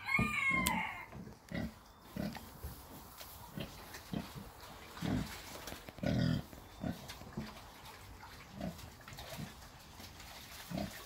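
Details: Red Wattle pigs about six months old grunting: short, low, gruff grunts repeated in a loose, uneven series through the recording, some louder and longer, with a faint higher squeal near the start.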